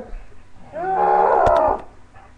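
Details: English Bulldog named Meaty, playing with its owner, gives a drawn-out harmonic howling whine lasting about a second, steady then falling slightly, with a few sharp knocks in the middle.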